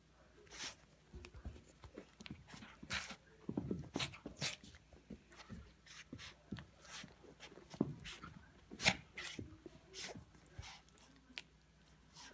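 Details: Yorkshire Terrier named Sadie playing tug of war with a scarf indoors: short low growling bursts and sharp huffs with panting, scuffling and rustling through the play, and a person's voice now and then.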